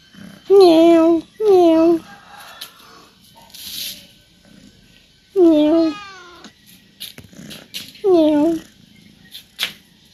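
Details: A talkative male pet cat at home, wanting his owner to play, gives four loud, clear meows, two close together early, then two more spaced out, each with a falling tail, with faint human voices between.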